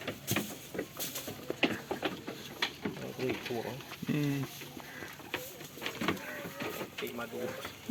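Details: Goats on a farm while playing and eating, two short wavering, quavering bleats in the middle, among scattered clicks, rustling and other farmyard noise.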